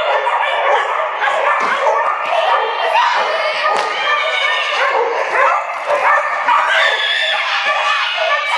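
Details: Flyball race dogs barking at the Dover Ice Arena, Dover, NH, during an April 2011 tournament; continuous overlapping yelps and barks from many dogs echo in the hall, mixed with human voices.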